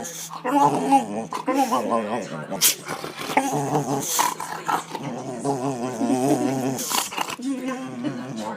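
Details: An excited male dog makes wavering, whiny growls and moans in long, drawn-out bursts while a person talks to him.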